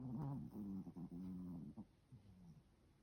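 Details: Sleeping Pomeranian puppy, born August 2021, snoring indoors: low, rough, droning breaths broken by short pauses, loud for the first two seconds, then fading into softer, quieter snores.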